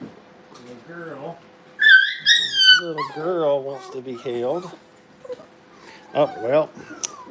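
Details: Playing Brittany puppies in a kennel give thin, high whimpers that slide downward, mixed with yips and a person talking in the background.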